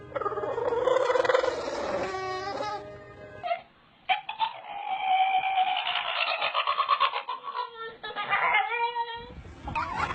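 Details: Puppies making funny pig-like sounds: strained squeals and whimpering yips in irregular runs, with one brief quiet gap, inside a small room.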